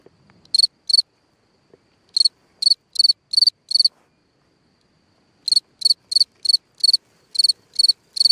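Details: A cricket chirps at night from its hole in the ground, giving clusters of short, high, pulsed chirps separated by silent gaps of one to two seconds, with no other sounds.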